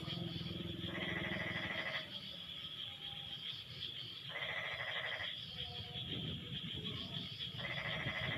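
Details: After the rain eases, frogs answer each other in a chorus: three loud, rasping, pulsed bursts about a second long, spaced roughly three seconds apart, with softer calls between and a steady high buzz behind.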